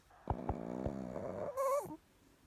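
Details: Chihuahua asleep and snoring: a low, rattling buzzy breath for over a second with a few sharp clicks, ending in a brief higher nasal whistle.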